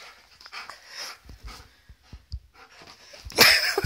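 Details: Alaskan malamute pet dog, described as a wolf dog puppy, reacting to a birthday balloon indoors; soft breathy panting and faint whimpers, ending in a sudden loud noisy burst near the end.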